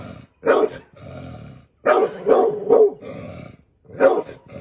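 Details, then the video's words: Aggressive dog barking during an attack on a snake: a lone bark, a growling pause, then a rapid cluster of three barks and one more after a short gap. "dog kill snake"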